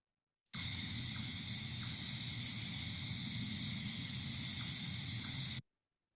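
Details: Insects buzz in a steady, unbroken high-pitched drone on a warm summer evening after civil twilight, easily mistaken for bat calls; no bat is present.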